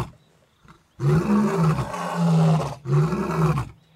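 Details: Male lions in Africa giving roars meant for the females: a loud, deep, sustained bellow lasting nearly two seconds, then a shorter second roar after a brief pause.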